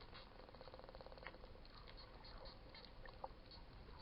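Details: Wild dolphins underwater at Coraya Bay, Marsa Alam, Egypt, recorded while snorkeling, give a rapid, buzzy train of clicks with a few brief squeaks over steady sea hiss.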